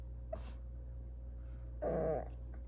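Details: A Maltese puppy gives a single short, high-pitched yipping bark over a steady low hum.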